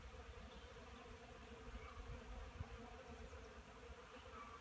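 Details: Honey bees on pollen at a wooden hive, 10 March 2015, 9 a.m., 12 degrees; an even, unbroken drone with a soft hiss above and a faint low rumble.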